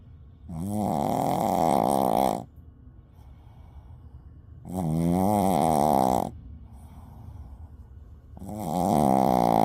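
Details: Shih Tzu snoring loudly while asleep: three long, rasping, vibrating snores about every four seconds, each lasting around two seconds, with quiet wheezy inhalations between, indoors.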